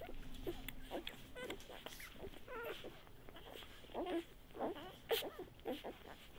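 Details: Feeding-time whimpering from a Great Pyrenees x Bernese Mountain Dog mix (mother Great Pyrenees, father Bernese Mountain Dog): quick repeated squeaky yelps and whines, a low steady tone early on, then several louder short bursts near the end.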